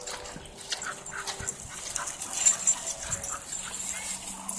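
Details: A Bull Terrier pants in quick, breathy, hissing bursts as it cools down, overheated, after a race.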